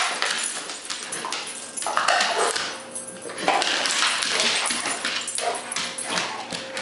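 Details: Rottweiler pup named Zeus tearing at a frisbee during play. Rough, noisy growls and chewing sounds come in irregular bursts throughout.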